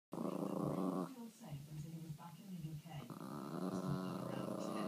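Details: A chihuahua growling at his first sight of snow: a low, steady, buzzing growl lasting about a second, a break of softer rumbles, then a longer, even growl to the end.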